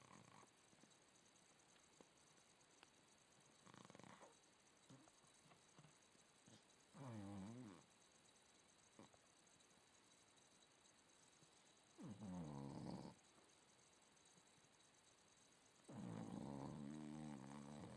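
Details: Staffordshire Bull Terrier snoring: deep rasping snores in bursts of about a second, spaced several seconds apart, with quiet breathing between them over a steady background hiss.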